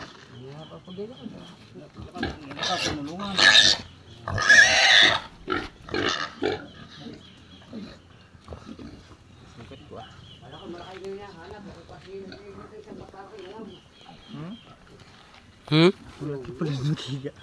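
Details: Native pig kept as a farm animal giving loud, harsh, broadband squeals in bursts, clustered early on and again near the end, with quieter grunting and a man talking in between.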